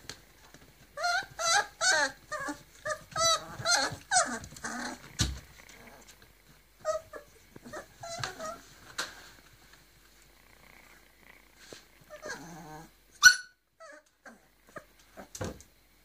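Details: Litter of 40-day-old Griffon puppies, three males and four females, in Cairo: bursts of squeaky whimpering and yelping in the first five seconds, then scattered quieter whines with long pauses and a sharp click near the end.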